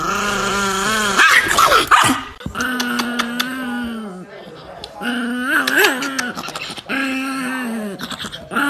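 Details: Angry Chihuahua giving long, wavering growl-whines in drawn-out tonal stretches, some rising and falling, broken by short clicks and thumps, while a person asks what it wants and music plays in the background.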